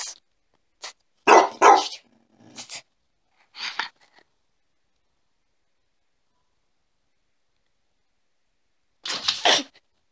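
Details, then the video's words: A dog barks in a few rough, noisy bursts, with a doubled loud bark near the start, then a long silence before one last harsh bark. "Dog Barking"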